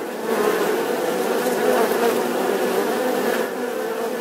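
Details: Loud, close bee buzz, a full droning hum with a wavering midrange tone that swells slightly mid-way, then eases a little toward the end.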